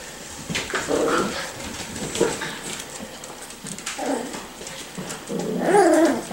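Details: Miniature Schnauzer puppies, five to six weeks old, playing together indoors; short whiny yelps and squeals in bursts around one, four and near six seconds, with scuffling and clattering between them.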